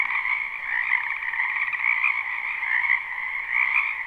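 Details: Loud, close croaking from frogs in a spring wetland, recorded live without looping. Rapid, rattling trills swell and fade over a dense chorus, with brighter bursts near the start, middle and end.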